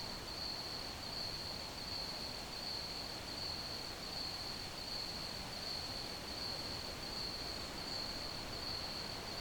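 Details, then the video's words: Crickets in an ambient nighttime-style sleep recording, giving a high, ringing trill that pulses regularly and never pauses. A loud, even noise floor of hiss and low rumble lies underneath. "Ambient Crickets Chirping Sounds"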